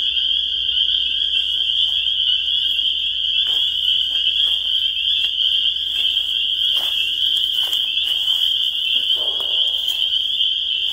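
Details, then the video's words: Many spring peepers calling together as an unbroken, shrill high-pitched trill-like wall of sound. Scattered soft taps and a quiet low background hum run beneath. "The Sound of Spring Peepers"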